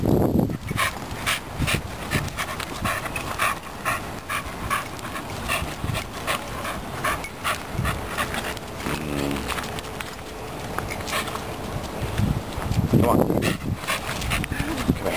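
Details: Megatron the Staffordshire Bull Terrier pants steadily and hard at the dog park, a long run of rhythmic breathy huffs, with occasional voices and handling noise.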